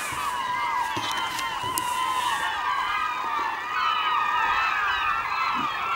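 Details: Beluga whales calling in the Naknek River on the morning of 24 April 2015, 8:30 am: many overlapping chirping, twittering whistles without pause, some rising and falling, plus scattered clicks and faint high crackle.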